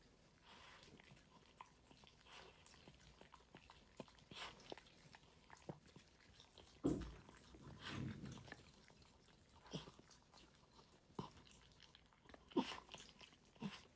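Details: Indoors, a pet dog eats from its food: scattered crisp crunches and licking clicks, a longer rustling chew near the middle, then further sharp bites at irregular gaps, in a quiet small room.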